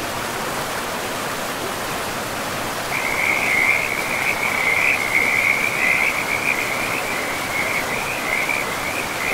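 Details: Along a forest river, flowing water roars steadily; after about three seconds frogs begin a continuous high trilling chorus of rapid rattling pulses that carries on to the end.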